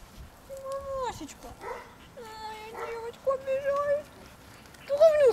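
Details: Two Bull Terrier puppies, 1.5 months old, playing and fighting. Separate whining yelps, each a thin high tone that rises and falls in an arc, come with short pauses between them; the last cry is the loudest.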